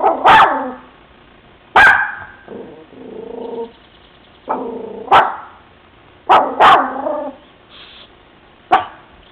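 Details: Pet dog Bebe, in a new room of a new house, barks at children outside beside a van, giving abrupt, forceful barks at uneven intervals mixed with softer, lower whining growls.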